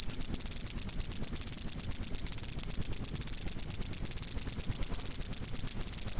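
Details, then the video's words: Cricket sound intended as master material for cage birds: an intense, high, buzzy stream of quick chirp pulses sustained throughout, barely faltering, with a clean background. "suara jangkrik"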